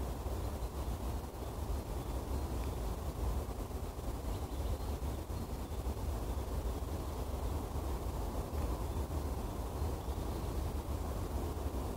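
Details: Constant low roar of wind or distant traffic fills the recording, with no animal call standing out.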